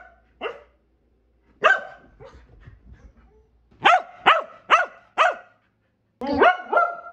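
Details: Kumo, a Keeshond, lets out scattered barks, then a quick burst of four crisp barks in close succession, ending with a couple of drawn-out, whiny barks.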